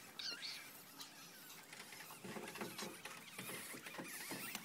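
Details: Newborn ferret kits, one day old, giving thin high-pitched squeaks near the start, followed by a stretch of scratchy rustling and patter as they shift about in a small indoor space.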